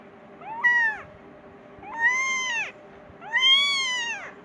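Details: Persian kitten calling for its mother and wanting food, giving three drawn-out arched meows, rising then falling, about one every 1.4 seconds, over a steady background hum.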